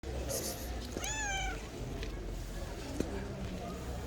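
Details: Friendly stray cat at a bus station wanting to be petted gives one short, rising then falling meow, while people talk nearby amid steady background noise.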